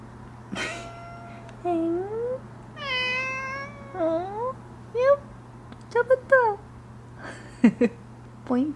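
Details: Hoarse domestic cat named Odeuli meowing indoors after tooth extraction surgery; a run of short harmonic meows, several rising then falling, some sliding upward, spaced about a second apart, with a steady low electrical hum underneath.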